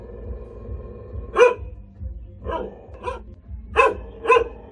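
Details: Single caged hunting dog barking at irregular intervals, five loud barks spread over a few seconds with short gaps between them, low background hum throughout.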